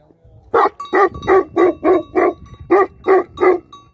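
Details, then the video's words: Fast, regular barking from livestock guardian dogs: nine loud, gruff barks in about three seconds, evenly spaced and forceful, over a low background rumble. "Livestock Guardian Dogs Barking"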